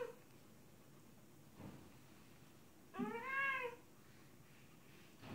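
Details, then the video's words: Female cat in heat meowing to a male outside. A single drawn-out, arching meow, rich in harmonics, rises and falls near the three-second mark. The rest is a quiet indoor background with a few soft thumps. "Female cat in heat meows to male outside"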